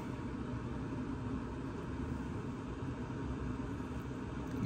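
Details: Steady low rumble and murmuring background noise, with no animal sound.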